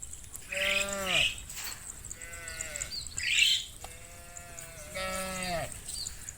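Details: Cows roaming an open field in late afternoon sun give drawn-out, falling moos one after another, calling the rest of the herd to come home to the barn.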